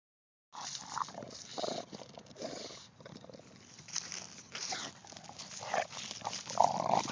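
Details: An English Bulldog snorts and snuffles noisily at a pumpkin, ending with a few brief high whines.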